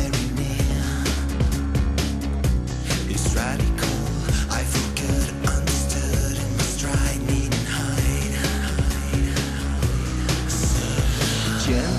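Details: Loud, driving rock music with distorted guitars and steady drums fills the whole recording, with no animal sounds audible.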